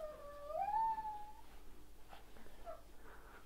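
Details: A one-month-old Rottweiler puppy in a litter indoors gives a single drawn-out howl that rises and then falls, lasting about a second and a half, followed by quieter rustling and faint whimpers.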